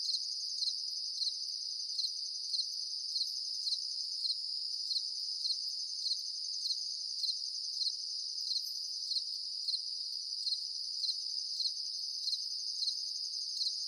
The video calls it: The sound of crickets at night time